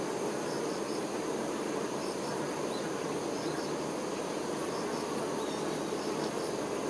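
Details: Honey bee workers tending their queen: a dense, steady, low hum of many wings that never pauses, with faint paired high ticking chirps repeating in the background.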